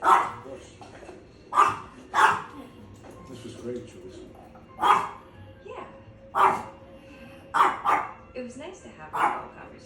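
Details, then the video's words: Chihuahua barking in sharp, short yaps, roughly one every second or two across ten seconds, some in quick pairs, with a faint steady hum in the background. "His hobby is barking"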